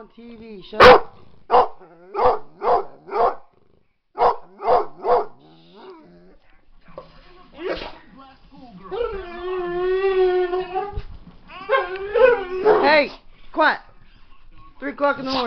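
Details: Pet pit bull provoked by a dog on TV: about eight evenly spaced barks roughly every half second, a pause, then a long wavering howl and more barks, with voices nearby.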